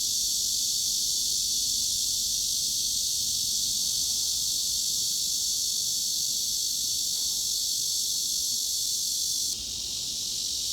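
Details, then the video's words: Steady cicada drone serving as a masking sound for tinnitus: high, hissing and unbroken for most of its length, then a sudden slight drop in volume near the end before continuing evenly. "중주파_매미 / Mid-Frequency_Cicada"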